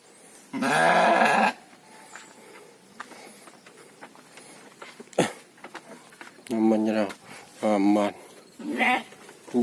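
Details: Penned gibas sheep on a farm: one strong, shaky bleat at the start, then several shorter bleats and calls later, mixed with people talking and occasional knocks.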